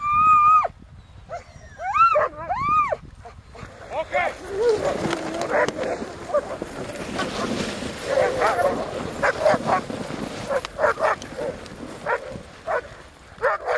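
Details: Alaskan Malamutes sled-dogging on an Arctic expedition give high, arching whines and yips, followed by scraping, rushing noise and possible voices.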